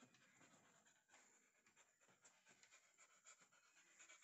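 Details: Nine-month-old female Golden Retriever near heat, kept indoors in Kottayam, Kerala, panting quietly: a fast, breathy, rhythmic series of huffs running steadily through the recording over a soft background hiss.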